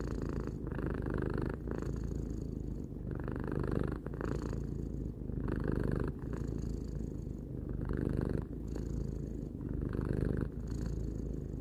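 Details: Tarou, a pet cat aged three, purrs in a long low drone, pulsing with breaths roughly every one to two seconds as the rumble swells and eases.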